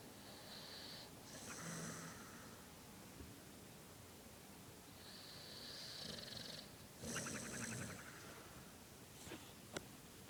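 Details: Lexus, a pet dog, snoring while knocked out asleep, cheeks puffing and flapping; soft breathy snores at roughly 0–2, 5–6.5 and 7–8 seconds, faint against a quiet indoor background.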